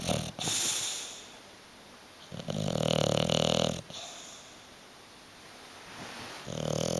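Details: Hugo, a bulldog sleeping on the sofa and refusing to wake or move, snores in long, rasping, throaty breaths, each about a second and a half, separated by quiet pauses indoors.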